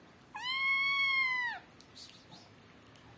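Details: Adopted kittens playing, a naughty black kitten biting an earphone; one clear, long, steady meow of over a second, holding its pitch and dipping slightly at the end, against a quiet indoor background.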